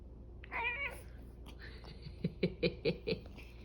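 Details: Cat responding when its head is touched, a single clear wavering meow early on, followed by a rapid series of five short, low chirping calls.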